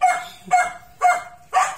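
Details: Macy, a Miniature Pinscher, meeting Mocha, an American Bully: four short, high yipping barks evenly spaced about half a second apart.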